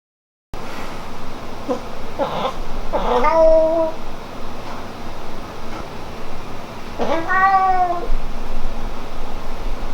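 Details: Hamu-chan, a pet cat at home whose meows toward the parents differ from those toward the beloved daughter; two drawn-out, bending meows about four seconds apart, with a few fainter short mews earlier and room noise.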